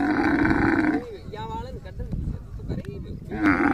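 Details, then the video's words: Camel giving a deep, gargling, grumbling roar that opens loudly, fades to a rough rumbling with wavering tones, then swells into another loud blast at the end. "The sound of a camel"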